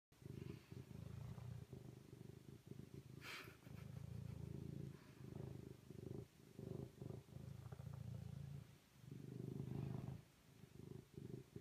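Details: Serval purring steadily in long low rumbling stretches, each lasting a few seconds, separated by short breaks as breath turns, with a brief faint hiss partway through.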